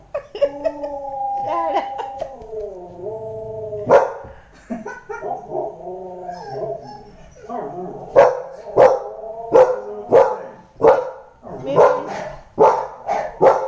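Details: Labrador Retriever named Shadow, kept as a family pet: a long held tonal howl wavering in pitch for about four seconds, then rhythmic sharp barks roughly every half second, with music in the background.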